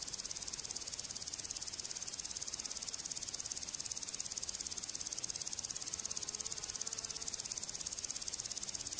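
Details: A grasshopper stridulates, rubbing a row of pegs on its hind legs against its forewing, making a dry, high, steadily pulsing buzz.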